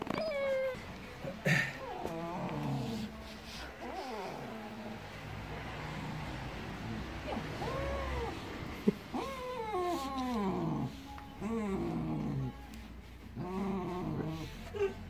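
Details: Siberian Husky reacting to a newly introduced German Shepherd puppy in the family. It gives a series of whining, rising-and-falling tonal vocal arcs. Some are short and some drawn out, with brief pauses between bursts and a low background hum.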